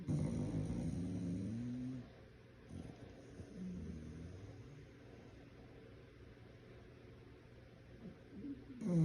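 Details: An English bulldog sleeps and snores like a human, with low, rumbling breaths that rise and fall unevenly.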